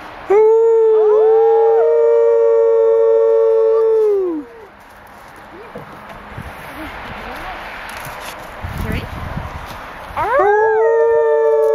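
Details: Female arctic wolf kept at a zoo in Orono, Ontario, recorded in February 2011 while visitors encourage her to howl; a steady, even-pitched howl of about four seconds, a pause with people talking, then another howl rising in near the end.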